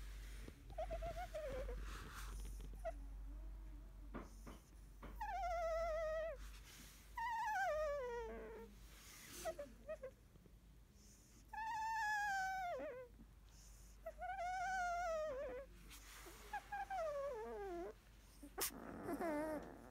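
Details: Sixteen-day-old Labrador Retriever puppy of a field line, napping after milk, makes drawn-out quavering whines and moans every couple of seconds, some sliding downward, a few fainter, over a low indoor hum and rustling.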